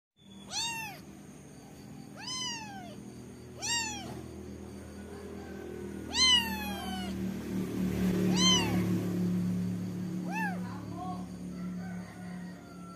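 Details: Kitten with a funny voice. Seven high, thin meows rise then fall in arching sweeps, spaced one to two seconds apart, over a steady low hum.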